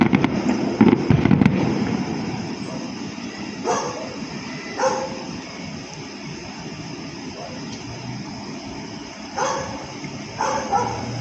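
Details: On the last night of the Panagbenga festival, a dog barks in short, spaced bursts at fireworks, against a steady background rumble after the fireworks bangs.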